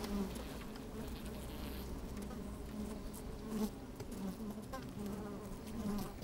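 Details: Worker honey bees moving around within an opened hive on a fine sunny day: steady droning buzz with small rising whines, low wind rumble throughout.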